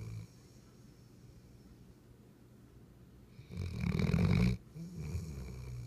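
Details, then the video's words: A Weimaraner snores on June 10, 2015, a low, rough rumble lasting about a second amid quiet breathing. "Weimaraner snoring"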